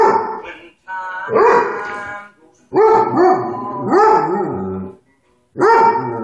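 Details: Singing along to Hank Williams, the dog Hobbes lets out a string of yodelling howls, each swooping upward then sliding down, in bursts of about a second with brief silent gaps.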